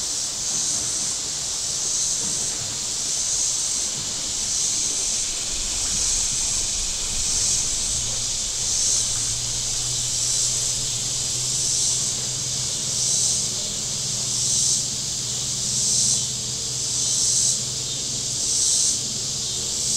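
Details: On the warm Missouri shore of Table Rock Lake, cicadas keep up a high, sizzling rhythmic chorus, rising and falling in even beats about every one and a half seconds, over a quiet low hum of passing boats.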